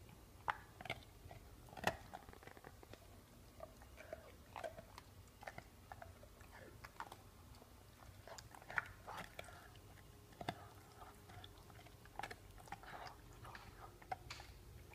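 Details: A pit bull eats a bone in a small indoor room: crunching, cracking bites come in irregular bursts, some loud snaps standing out, over a low background hum.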